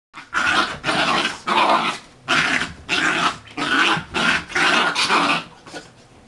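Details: Two dogs, Bullet and Tyke, wrestle playfully after their bath; harsh, rasping growls come in about eight loud bursts, each roughly half a second long, separated by short pauses.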